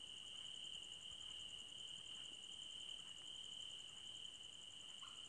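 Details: Crickets in a night forest make an even, piercing trill alongside a regular, rapidly pulsed higher chirp. A brief, lower call appears right at the end.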